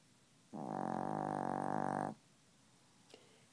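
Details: Chihuahua snoring steadily in its sleep, refusing to wake; one long fluttering snore of about one and a half seconds, a dense rapid rattle, then a faint tap.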